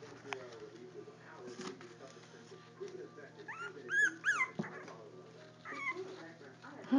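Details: Four-week-old Jack Russell Terrier puppies giving a few short, high whining whimpers that rise and bend downward near the middle, with background music and faint human voices throughout.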